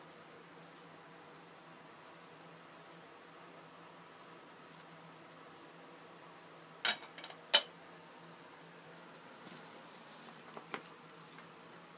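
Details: Near-silent room with a faint hiss and a couple of sharp clicks or rustles midway; no animal call heard.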